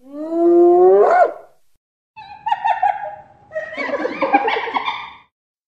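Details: Hyena: one loud whoop sweeping upward and ending in a sharp squeal, followed by a flatter moaning call and a rough, wavering groan.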